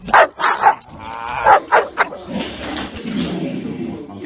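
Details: Aggressive Shar Pei barking in sharp bursts, about five loud barks in the first two seconds, followed by a rough, noisy rumble and scuffling, with a man speaking Italian nearby.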